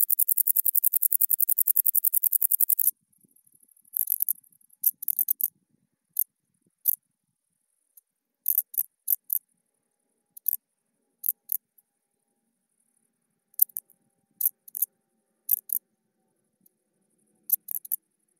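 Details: A wart-biter bush-cricket (Decticus verrucivorus) in Maria Alm, Austria, on 4 August 2018 gives a rapid, high-pitched ticking run, then scattered dry clicks.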